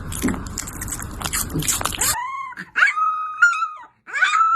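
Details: A dog whimpering in thin, high, drawn-out whines that rise and hold steady, each lasting about half a second or more, after two seconds of loud noisy clatter and screaming.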